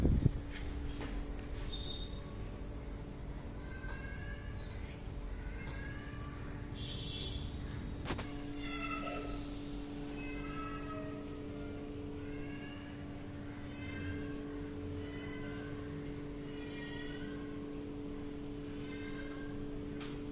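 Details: Hungry kitten meowing for food, with fish and rice on offer; short, harmonic, slightly rising meows repeat every second or so through most of the stretch over a steady low electrical hum and a few clicks.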